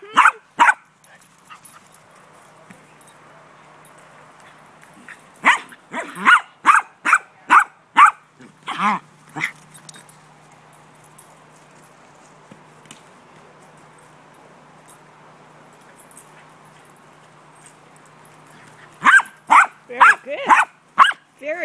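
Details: Gracie, a pet dog, barking while playing ball outdoors as it starts to rain: bursts of sharp, fairly rapid barks in clusters, a run near the start, another mid-clip and a final flurry, with quiet gaps between.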